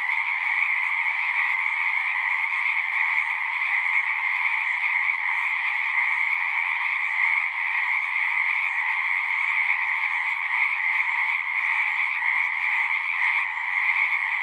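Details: Pond frogs in a horse pasture, captured on a Zoom 6 recorder, sing in a thick continuous chorus. Many overlapping high-pitched trills blend into a constant droning buzz that holds level throughout.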